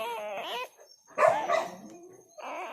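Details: A freshly born black village dog puppy, still wet, one of a litter of four, gives wavering, quavering whines in two short bursts, then a softer cry, while a person speaks nearby.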